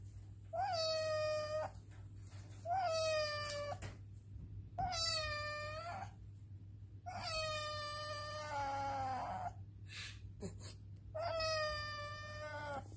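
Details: Domestic cat meowing, five drawn-out harmonic-rich meows about a second long each, spaced roughly two seconds apart, some wavering in pitch, over a steady low electrical hum.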